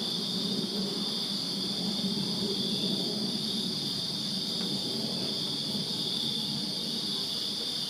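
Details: Crickets in a Virginia backyard on a summer night produce a continuous high, shimmering trill with a faint upper band, steady throughout, above a soft low murmur.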